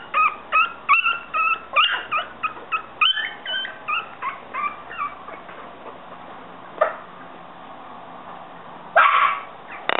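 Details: Yorkshire Terrier puppies let out a quick string of high squeaky whines for about five seconds, then it falls mostly quiet apart from a couple of short harsh bursts.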